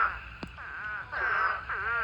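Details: Eastern spadefoot toads at a pond during mating season, thousands gathered in a breeding swarm, form a dense chorus of overlapping nasal, bleating calls running continuously.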